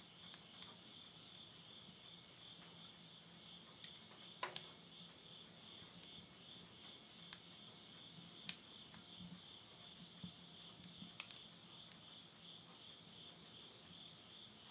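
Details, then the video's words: Late-summer insect voices at midnight in rural Yurihama, Tottori, Japan, September 2020, form a continuous high-pitched trilling band, broken by scattered snaps and pops of burning wood in a stove. "the voice of insects"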